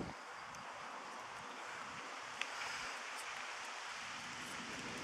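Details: Soft outdoor rustling and steady broadband noise with one faint click, and no animal voice heard.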